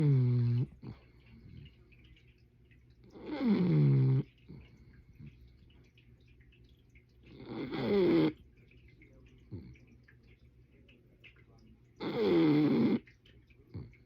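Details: Sleeping bulldog snoring indoors: four loud, rasping, harmonic snores about every four seconds, each lasting roughly a second with a falling-then-rising tone, separated by near-silent pauses.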